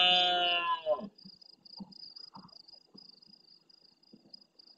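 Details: Large red deer stag roaring at nightfall in the Doñana National Park marshes near El Rocío, Andalucía, Spain, answering more distant stags: a loud, harsh, harmonic-rich roar lasting about a second and fading, then steady insect buzzing and faint scattered knocks.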